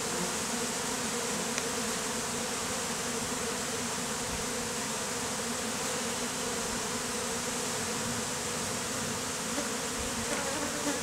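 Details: Honey bees clustered as a beard on a beekeeper's face, just hived out of a statue, on a hot day; a dense, steady buzzing drone of many bees runs throughout with no breaks.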